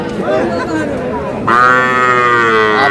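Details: Small young bull and heifer calves at a cattle market on 17 February, bought by a Madaripur farmer; after a stretch of chatter, a long, steady, fairly high-pitched moo cuts in halfway through and holds, with people talking beneath.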